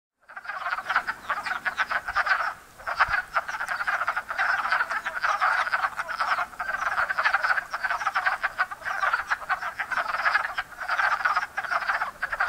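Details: Hundreds of wild wood frogs (Lithobates sylvaticus) gathered at a small woodland pond in Enosburgh in spring to breed, calling in a dense chorus of short, rapid clucking croaks that overlap continuously, the first frog chorus of the year.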